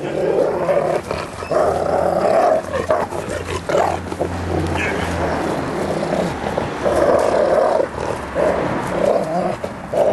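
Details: Bernese Mountain Dog in playful fighting with its owner, biting softly; sustained harsh growls broken by brief pauses, with a low hum and occasional handling noise.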